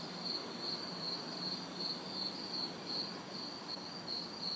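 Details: Backyard night chorus of crickets and cicadas in summer heat and humidity in the city, loud regular high-pitched chirps roughly every 0.4 seconds atop a steady shrill hum and low distant traffic.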